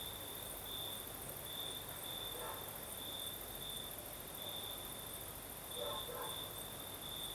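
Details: Crickets calling through the night in the Crimean south as a breeze blows: a continuous pulsed shrill trill, steady and bright, layered over an even higher hiss, with a couple of faint low flutters midway and near the end.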